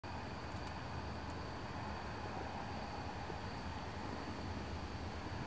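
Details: Steady broadband hum with a faint constant high tone runs throughout, with no animal sound.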